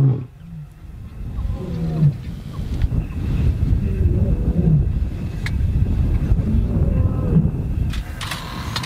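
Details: Lions near the Chobe River: two young males challenging two older pride males. Low, rumbling growls and bellows rise and fall over a steady engine hum, with some human voices in the background.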